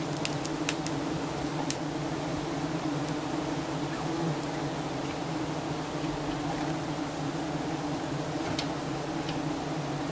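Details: Swarm of giant honey bees around their nest as Thai honey hunters harvest the honey; continuous deep humming buzz with no breaks, and a few crisp ticks early on and near the end.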